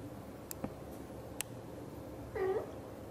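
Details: Blue golden British Shorthair mother cat indoors talking to her kittens: a single short, trilled chirrup near the end, preceded by a few sharp clicks and taps in a quiet room.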